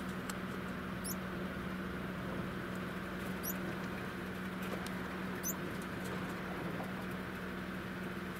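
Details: Cairo spiny mice in the act of mating; three thin, piercing squeaks spaced roughly two seconds apart, each a brief upward sweep, above a persistent low mechanical hum and faint patter.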